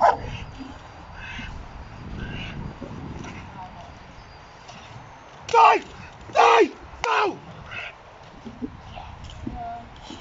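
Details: Uran von Elberfeld, called Hektor, a Giant Schnauzer competing in the AVD2020 Bronze Class, gives three loud, deep barks in quick succession midway, framed by quieter human speech and background murmur.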